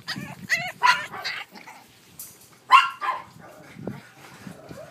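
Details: Boston Terrier puppies, a brother and sister born on 25 February, giving high, thin yips in two quick bursts, several clear harmonic yelps early on, then a pair near the middle, with faint household rustling between.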